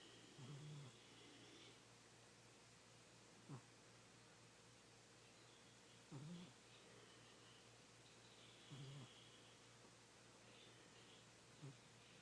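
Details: Old, fat pet cat Kitty snoring loudly in deep sleep while dreaming: low, grunting snores recur roughly every two and a half seconds, five breaths in all, against a soft steady room hiss.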